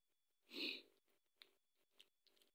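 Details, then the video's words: Indoor Scottish Fold female, always at her owner's side and crying, while being coaxed to eat: one clear, high, whining mew swelling and fading within half a second, followed by soft clicks and small room noises. "She always with me, she always crying"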